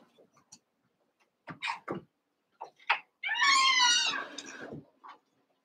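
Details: A young Cavalier King Charles Spaniel puppy, one of eight wrestling in a pen, gives a high harmonic whine that slides downward over about a second, preceded by short scuffling yips and followed by quieter snuffles.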